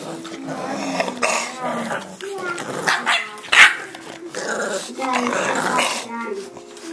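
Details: English bulldog puppies 6½ weeks old whine, yelp and grumble over one another, with a human voice in the background.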